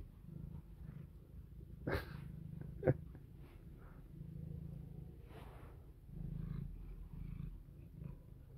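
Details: A domestic cat, female, purring while playing and trying to bite, biting a finger; steady low rumbling purr throughout with breathy pulses, interrupted by a couple of sharp clicks and faint rustling.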